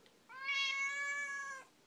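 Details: [3, 'A talkative Siamese cat complains with a loud, bright, sustained meow of over one second, nasal and even in pitch, ending abruptly.']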